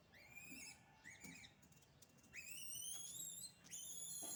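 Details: Rural village monkeys, described as naughty, utter sharp upward-sweeping whistled cries, two short ones, then two longer rising and flattening calls, rich in overtones, over a faint low background rumble.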